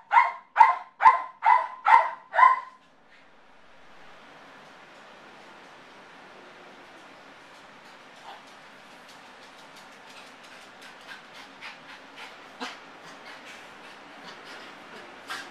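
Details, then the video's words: A male Yorkshire terrier gives a quick run of six sharp, high yappy barks from separation anxiety, which he shows every time his owners leave, barking for an hour or more. "Motley - Separation Anxiety Yorkshire Terrier"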